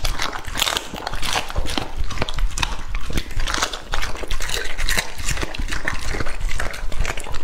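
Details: A pet English Labrador named Lucky, two and a half years old, tucking into raw meat: loud, close, continuous sloppy chewing and crunching, with bursts of wet smacking and tearing throughout.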